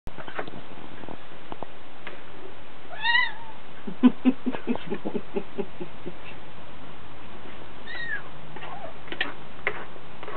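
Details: Pet dog making funny, cat-like noises: two short arched whining cries that rise then fall, separated by a run of quick low grunting pulses, over a quiet background hiss.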